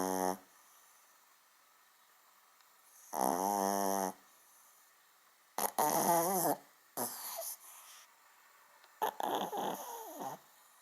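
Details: A little dog snores indoors, as loud as a big dog. One long, rasping snore is followed by several shorter, uneven snorting bursts.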